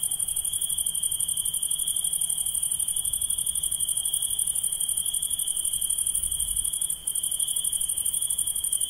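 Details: Insects heard at night in a dense, continuous chorus: a sustained high-pitched ringing trill and a faster shimmering buzz above it, with one brief dip near the end.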